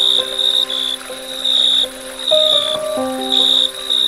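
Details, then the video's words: Crickets chirping at dusk: high, buzzy pulsed trills in bursts of about half a second, each separated by short pauses, with slow, soft instrumental music holding sustained low notes underneath throughout. "Dusk Crickets Chirping Sound"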